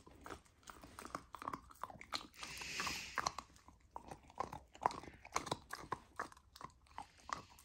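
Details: A golden retriever puppy tries raw lamb for the first time, chewing in quick crunchy bites. A short hissing burst comes around the three-second mark, then gnawing clicks continue, with one sharp bite standing out.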